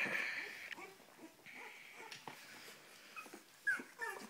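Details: Cavalier King Charles Spaniel whimpering indoors: thin, high whining tones held in short stretches, with a brief upward squeak near the end, among soft shuffling and rustling in a small room.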